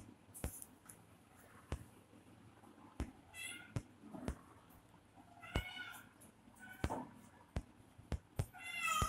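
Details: Baby kittens fighting with each other; several short, high, squeaky meows come in irregular bursts, mixed with sharp clicking and tapping sounds throughout a quiet room.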